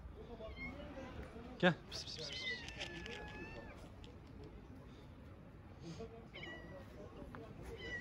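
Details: Hungry tabby street cat with other strays, being fed outdoors: a drawn-out, falling meow near the start, a shorter meow later, and a person repeatedly calling softly to the cats.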